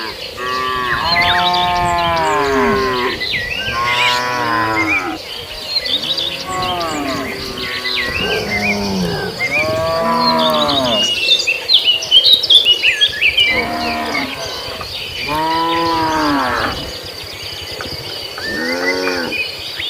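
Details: Tame herd of cattle roaming a field on the way to the pen while grazing; repeated drawn-out moos, some rising then falling, overlap one another with brief pauses, over steady chirping birds in the background.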